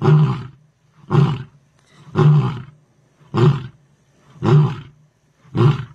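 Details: Big male lion roaring: a series of deep, throaty grunting roars, one about every second. Lion.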